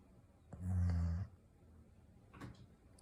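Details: Asleep indoors, a Golden Retriever gives a single deep, droning snore of about three quarters of a second, then the room falls quiet except for a faint brief rustle.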